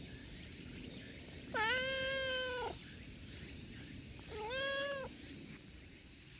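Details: Affectionate silver tabby cat meows twice outdoors: a long, even meow lasting about a second, then a shorter, slightly rising one some two seconds later, both clear and harmonic-rich over a steady high insect hiss.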